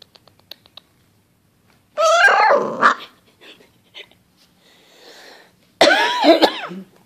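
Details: A playing basset hound puppy gives two bursts of high, wavering yelping cries a few seconds apart, with faint clicks and soft shuffling between them.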